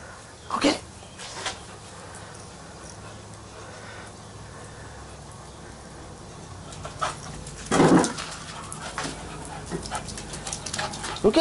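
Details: Little Bubba, an 18-week-old puppy, having fun in a garden sprinkler. Two sharp single barks stand about seven seconds apart over a steady hiss, followed by a few softer yips toward the end.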